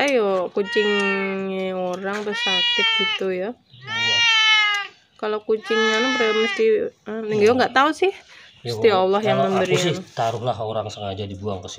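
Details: Scabies-stricken stray cat, starving and thirsty, crying at a house for help: a run of loud, wavering meows, some rising then falling, in quick succession, mixed with a person talking nearby.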